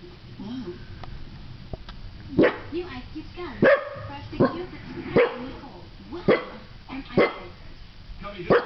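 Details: A dog gives a series of about seven sharp, loud barks spaced roughly one second apart, preceded by lower, wavering throaty sounds in the first two seconds.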